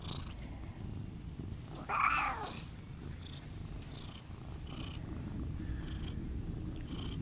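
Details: Purring from a Siamese cat (Otani or Yozora) as a continuous low drone, broken near the two-second mark by a short brighter chirp-like sound and light scratchy rustles.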